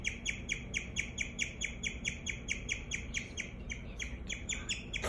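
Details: Domestic guinea pig giving a long run of quick, high tweeting chirps at an even pace, roughly two each second, with faint low room noise beneath.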